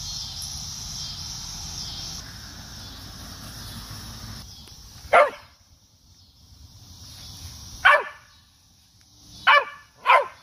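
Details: Cocker spaniel barking while trying to get a cicada in an apple tree: a steady high cicada buzz first, then four short sharp barks over the last five seconds.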